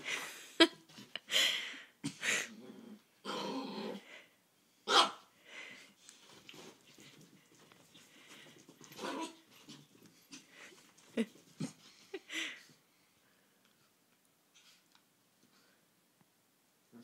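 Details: Small male Chihuahua in a house, begging at the nightstand for the laser pointer: rapid, breathy yelps and whining cries in quick bursts for about twelve seconds, then near silence with faint soft sounds.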